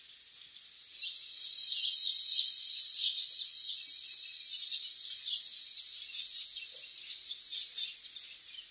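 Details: Cicada of the Philippines, recorded at the foot of the mountains in Cebu City's Pit-os and Bacayan barangays, giving a long piercing high-pitched buzz that rises quickly and stays loud, easing slightly near the end among faint chirps.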